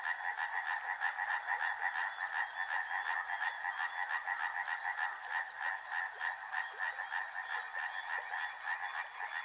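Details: Frogs calling near a river, a continuous mass of short rattling croaks pulsing roughly three times per second, some louder individual calls standing out against the steady background chorus.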